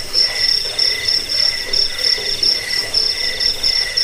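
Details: Crickets used as a rat-repelling, sleep-inducing and bird-training recording chirp in shrill, clipped high pulses, roughly one burst per second, layered over continuous insect ringing.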